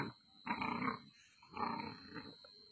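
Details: A Great Dane gives two deep, rough, drawn-out barks about a second apart; the barking is tagged as aggressive and described as a reaction.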